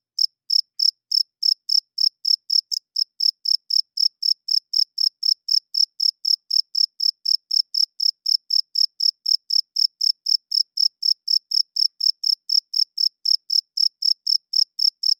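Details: Loud nighttime cricket song from a male rubbing his wings together: a continuous run of high-pitched chirps about four per second, very regular and clean, with no other noises behind it.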